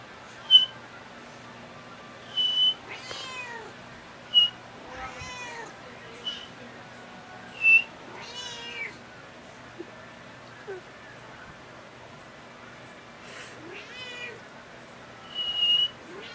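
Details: Domestic cat meowing back and forth with a man, short rising-falling meows roughly every two to three seconds, interleaved with high steady whistle-like tones, indoors.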